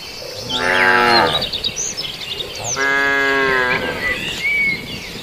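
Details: Cattle grazing on villagers' green grass. Two long, loud, deep moos, each about a second long, with a short pause between them. Birds chirp and twitter in the background, and a steady high insect hum runs throughout.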